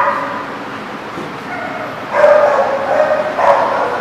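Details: Dog barking amid a noisy, echoing background, with a few loud, rough barks standing out near the end over a continuous din of other dogs.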